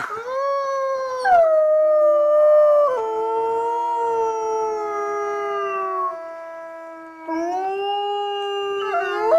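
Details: Three zoo gray wolves (Canis lupus), two sisters and their youngest sibling, howl in long, smooth, mournful overlapping tones that rise, hold, then slide, reacting to the morning park announcement at Asahiyama Zoo, Hokkaido.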